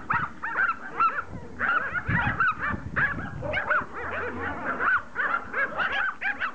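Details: Several Pomeranians attacking a rugby ball: continuous overlapping high yips, whiny growls and playful barks, dense and busy throughout, with thumps from the scuffle.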